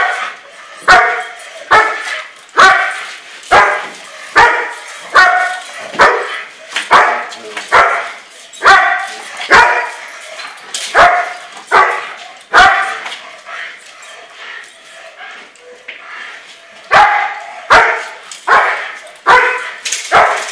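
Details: German Shepherd barking steadily in bite work, with rhythmic, evenly spaced loud barks about every 0.8 seconds. A brief lull of quieter, ragged sounds follows, then the regular barking resumes.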